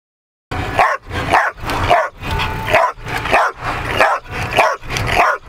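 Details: A dog tests its new ball-throwing device in August 2008 and pants loudly and close by. Rough, breathy bursts come in a steady rhythm, about one every half second, with short quiet gaps between them.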